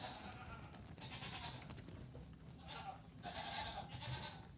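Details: Nigerian Dwarf goat kids, three days to two weeks old, part of a farm's 48 newborns, let out one morning while their mothers eat grain; faint wavering bleats come in two bursts over low rumbling background noise.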